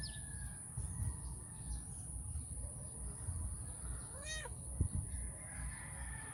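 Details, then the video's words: Stray cat Calita, who visits every morning and early evening to feed, begs for affection before her food. A single short meow that rises and falls, amid quiet low rumbling, a soft tap and a continuous high whine. "My stray cat asking for love and affection"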